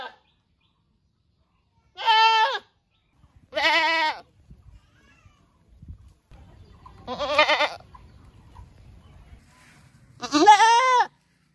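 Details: Goats recorded in a riverside village, Rosulpur, giving four loud wavering baa bleats spaced about one to three seconds apart, with faint low rustling and thuds between calls.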